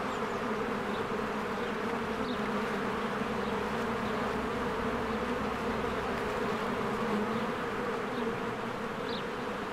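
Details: Swarms of honeybees busy at a spring beehive, coming and going; a thick unbroken droning hum with layered low tones, and a few faint short bird chirps rising over the buzz.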